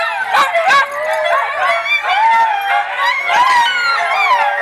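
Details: Italian Greyhounds at play during a Denver, Colorado rescue playdate, January 2014: tangled high-pitched yips and wavering, whining howls overlap in a noisy indoor jumble.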